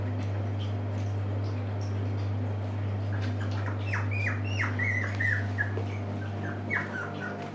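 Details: Puppies at a Shiba Inu and Samoyed breeder in the Netherlands, 6 November 2018, now staying awake longer; short high squeaky whines with falling pitch, clustered in the second half, several in quick succession, over a steady low electrical hum.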